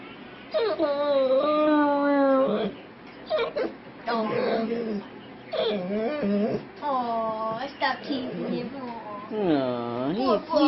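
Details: Pet dog Giorno chewing on a blanket and making strange, drawn-out moaning whines, with wavering, bending pitch and several separate cries. People talk and tease him throughout.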